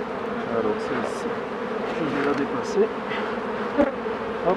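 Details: Steady hive drone of honey bees during beekeeping work, the low hum running unbroken beneath scattered clicks and brief higher buzzes of bees flying close by.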